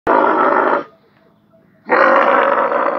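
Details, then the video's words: Young camel calling: two loud, harsh, rough bawls, each close to a second long, separated by a quiet gap. "the Camel baby voice is amazing"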